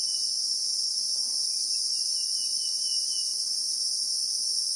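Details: Unbroken high-pitched insect drone of Christmas beetles (Anoplognathus) in South African acacia bushveld, in real time, carrying a faint wavering whistle-like trill in the first half.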